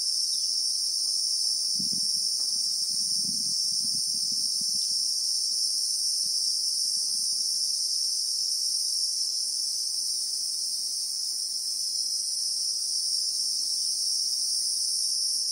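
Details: Steady high shrill buzzing of Christmas beetles (Anoplognathus) in real time in the acacia bushveld of South Africa, with a few soft low rustles or thuds in the first seconds.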